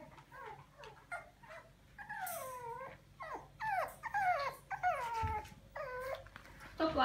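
French Bulldog puppies give a run of high, wavering whines and squeaky yelps, with a woman speaking softly.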